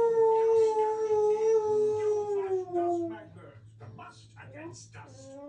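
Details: A Siberian Husky "singing" in his beanbag gives a long, smooth howl that slowly slides downward, followed by softer broken sounds.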